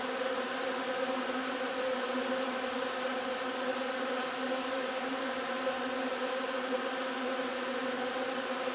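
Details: Honey bee colony at its hive while foraging on linden nectar, 3 June: a constant, level, many-voiced buzzing hum with a steady low tone and no breaks or other noticeable sounds.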